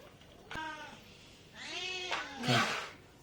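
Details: Domestic cat at feeding time, pulling meat with its paw: a short harmonic meow near half a second, then a longer arched, drawn-out meow, with a noisy burst at the end and quiet room background.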